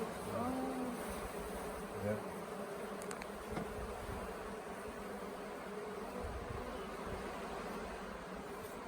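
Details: Honey bee swarm that had settled for several days on the grounds of the Tamarind Tree Hotel, swarming late in the year and being coaxed into a nuc box. A dense, unbroken droning hum holds steady throughout, with a few brief tonal blips near the start.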